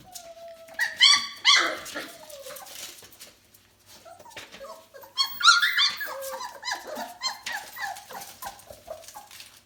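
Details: Four-week-old F1B Bernedoodle puppies at play indoors: a thin drawn-out whine, then bursts of sharp, harmonic-rich yelps and squeals in two loud clusters, mixed with scrabbling and short whimpers.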